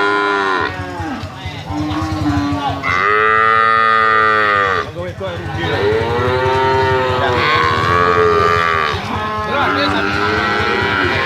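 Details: Limousin calves being sold call out in long, loud, drawn-out moos with rich harmonics, one call after another with little pause, a few dipping in pitch near the end.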